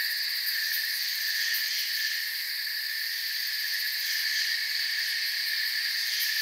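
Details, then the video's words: Crickets chirping in a forest, their massed trilling forming a continuous high buzz with faint rapid pulsing just audible on top, about three or four beats each second, otherwise level and uninterrupted. "Forest Sounds and Crickets"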